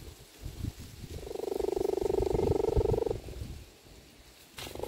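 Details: Cheetah mother calling her cubs outside to come and play: a rapid, pulsing churr of about two seconds, even and throbbing, over faint background rustling and a few soft knocks.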